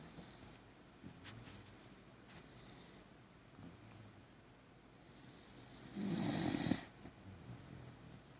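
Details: Lucky, a Beagle Jack Russell mix dog, sleeping and lightly snoring on a Saturday morning indoors; soft rhythmic breathing snores, then a louder raspy snort burst near the end, in a quiet room.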